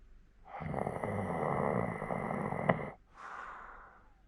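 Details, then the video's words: Old 14-year-old Hokkaido dog asleep in Sapporo, snoring: a long rough rasping snore for about two and a half seconds, then a brief pause and a softer, airy breath out. "札幌の北海道犬 14才老犬のいびき"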